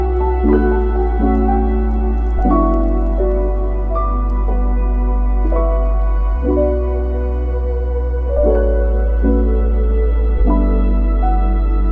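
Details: Calm ambient music only: soft synthesized chords change every two seconds or so over a deep, sustained bass.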